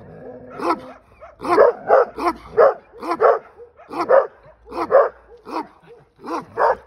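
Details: Belgian Malinois; bark; barking at another dog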